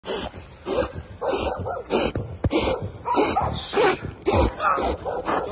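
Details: Belgian Malinois trained for dual-purpose police work, during grip work: harsh, rough barks repeated irregularly about every half second over a steady background noise.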